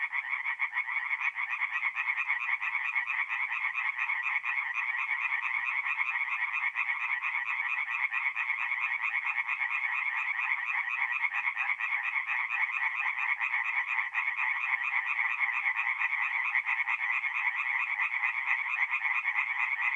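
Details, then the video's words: A tree frog chorus at a forest pond by night in north-eastern Italy during mid-April, many frogs producing relentless, evenly loud rasping pulses that merge into a steady throbbing wall of sound. "relaxing forest pond by night with singing tree frogs"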